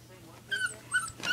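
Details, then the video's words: Springer Spaniel puppy, frightened of a rubber pig toy, gives short high whimpering yelps in two rising-falling bursts, with a faint steady hum underneath. "Springer Spaniel puppy scared of rubber pig"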